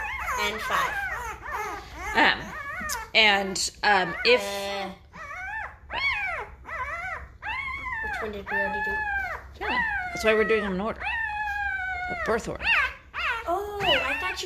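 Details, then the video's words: Five-day-old Great Bernese puppies, born to a Great Pyrenees mother and Bernese Mountain Dog father, squeal and whine together, with many rising-then-falling harmonic cries, some long and drawn out, others short yelps overlapping. "Great Bernese Puppies are 5 days old and getting noisy!"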